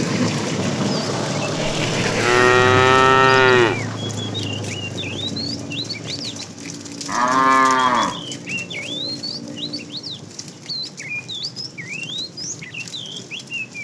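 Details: Tame cattle being herded in the afternoon; a fat cow calling the female gives two loud harmonic moos, the first long and steady, the second shorter and falling, with many birds chirping and whistling throughout.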